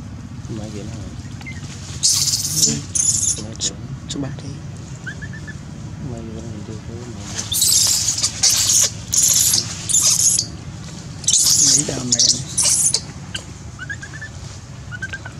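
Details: Baby monkey crying on a branch while mistreated by a big female monkey: harsh, hissing high-pitched screams in clustered bursts around two, eight to ten and twelve seconds, with low background rumble between.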